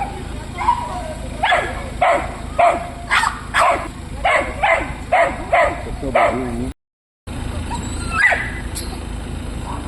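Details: Alisa, a pet Dachshund, barks in a park in Lobnya near Moscow on 25 August 2025 at a dog microchipping and vaccination drive; a run of about nine short barks roughly every half second, then a brief gap and faint outdoor noise.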